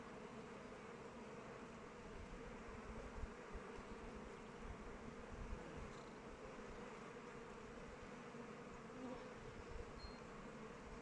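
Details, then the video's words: Honey bees busy at their hive in open weather fill the air with a steady, low-pitched collective hum, punctuated by a couple of brief louder passes of single bees close by. "Bees flying around hive"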